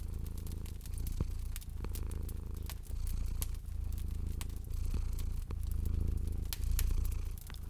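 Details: A domestic cat purrs in a low, steady rumble as it sleeps by a fireplace, with sharp crackles and pops of the wood fire.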